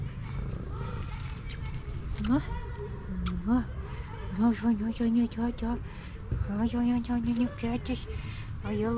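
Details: A female pet cat meowing and trilling at the same time: short chirruping trills and level, throaty tones at a fairly steady pitch, coming in bursts over several seconds, while a person talks softly to her.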